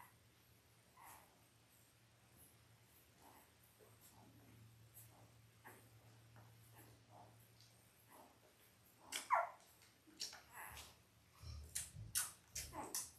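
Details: Labrador Retriever puppies at five days old, a litter of five males and three females. Near silence with a low hum gives way to a burst of thin, high whimpers and squeaks in the last few seconds, mixed with rustling.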